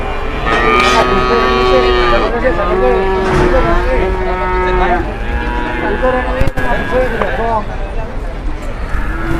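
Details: At a crowded Indonesian cattle market, a fat cow that will not get up draws a crowd. Repeated rough, harmonic moos of varying length fill the first half, followed by nearby talking and a sharp knock.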